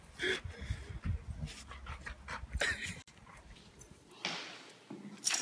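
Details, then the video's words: Dog named Chevy in a funny sneezing compilation: several short, sharp, breathy bursts spaced a second or two apart, with a person asking if the dog is okay and faint room noise. "Sneezing Dogs"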